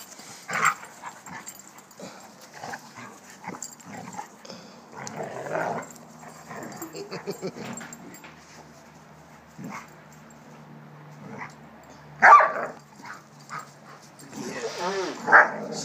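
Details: Two Doberman Pinschers playing together; rough, breathy growling bursts come irregularly, with a louder harsher outburst near the middle and a higher tonal whine near the end, while people talk in the background.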